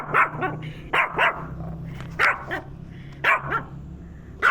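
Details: Agitated pet dog barking at a turtle: short, loud barks, often doubled, repeating roughly every second, with a faint low hum underneath.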